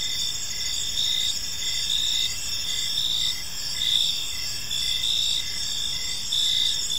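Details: Many crickets chirping in a park at evening, high rapid pulses repeating steadily in stacked layers, loudness gently rising and falling, faint low noise beneath.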